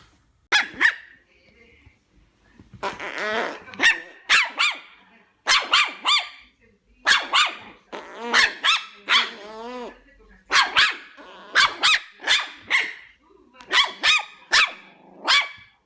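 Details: A Chihuahua barks in rapid, high-pitched bursts, sharp yaps grouped in runs of two to four, with some wavering growly notes between volleys; short silent gaps separate the bark clusters throughout.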